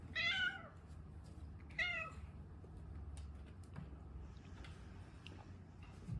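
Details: Domestic cat named Kiyoko meowing to ask for food before a meal, indoors: two clear, loud harmonic meows, each about half a second long with a falling tail, then faint rustling and quiet room noise.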